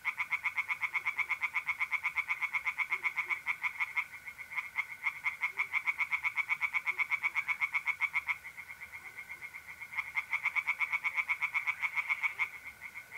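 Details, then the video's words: Pond chorus of tree frogs at night in mid-April, north-east Italy: a fast, continuous string of harsh pulsed croaks, about four per second, with a thin unbroken mole cricket trill beneath. "singing tree frogs in pond and trilling mole crickets by night"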